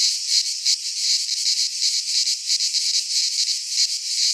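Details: Midsummer chorus of cicadas in a pine forest in Greece, a harsh high buzz throbbing in quick uneven pulses, several swells per second, unbroken across the whole stretch.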